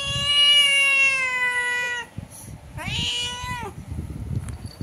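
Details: Cat indoors calling through a window to a cat outside: one loud, long, level meow of about two seconds, then a shorter, falling meow, with faint room noise after.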